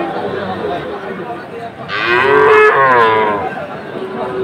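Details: Sahiwal bull calf at a cattle market in Chattogram, Bangladesh, giving one loud, drawn-out harmonic moo lasting about a second and a half, rising then easing, over steady market crowd noise.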